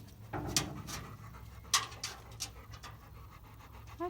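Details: Female Labrador Retriever on the back of a pickup truck, excited and wanting off but too scared to jump: a few breathy, hissing pant bursts under a man's coaxing voice, with a steady low hum throughout.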